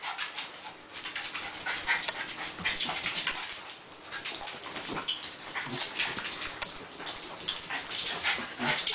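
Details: West Highland White Terrier playing with dachshunds, which gang up on it. A continuous rough, hissy scuffle of growling and breathy bursts, fairly steady in loudness, with no clear barks.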